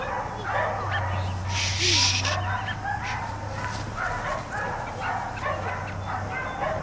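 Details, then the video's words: Barking from four dogs kept outside all day: choppy, irregular barks layered together, with a brief hissing burst near the two-second mark and a constant low drone underneath. "4 Dogs Barking Allday"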